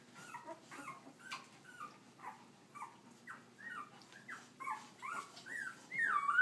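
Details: Puppies out walking, giving a steady run of short high whines and yips, roughly two or three per second, ending in a louder drawn-out squeal.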